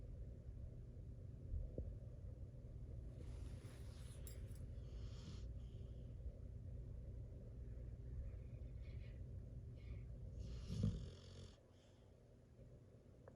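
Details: Zeus, a sleeping American bully, snores like a human: soft, breathy, wheezing rasps come in slow drawn-out bursts over a steady low indoor rumble, with the loudest snort near the end before the room quiets.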